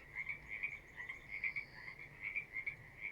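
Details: Frogs calling from a pond area, heard while walking past outdoors; quick, high, pulsed notes repeat in an uneven rhythm, about seventy-five per minute, forming a steady chorus over faint low background rumble.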